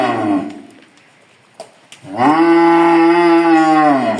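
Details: Farm bull offered for sale ahead of Qurbani, giving one long, deep, steady moo with a rich tonal drone that holds level for about two seconds before tailing off; a brief softer sound opens the clip, followed by quiet clicks.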